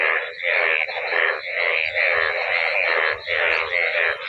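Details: Large gathering of yellow frogs calling together in flooded village fields during the monsoon; continuous overlapping nasal croaks swell and dip in rough pulses roughly twice a second, with faint low rumbles beneath.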